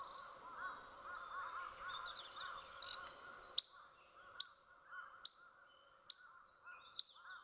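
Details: Male pika, possibly in breeding season, calls in a series of six sharp, high, bursting squeaks, one roughly every 0.8 seconds, with the first call of the run sounding unusual; soft repeated hooting and faint chirping from birds underneath.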